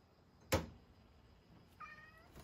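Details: Rescued male cat, thought to be born in spring 2019, at home in Shiga, Japan, at dinner time; a sharp knock is followed by one short, faint, tonal meow, while a woman asks whether it will eat.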